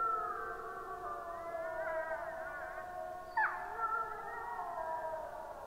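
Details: [1, 'yes', 'chorus howl', 'Wolves howling in chorus, recorded on 26 April 2022 at 23:21: several long, overlapping wavering tones held at different pitches, one voice sliding sharply up then down midway, steady throughout.']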